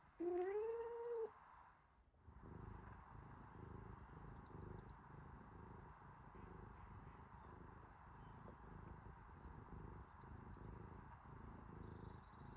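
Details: Kitten drinking milk from its mother cat: one short rising meow at the start, then a steady, low, rhythmic smacking and suckling sound. Faint high bird chirps can be heard in the background.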